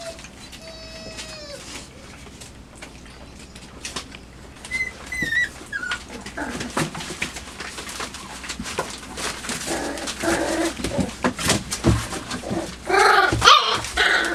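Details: Five-week-old puppies in their night pen on 23 September 2015, exploring a newly placed box: a drawn-out descending whine opens, a few high squeaks follow, then scratching, shuffling and knocking against the box take over.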